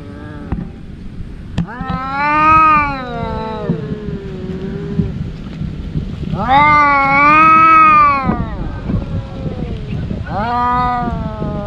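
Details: Two brother house cats in their daily fight: three drawn-out arched yowls, rising then sagging in pitch, with shuffling and rustling noise between them.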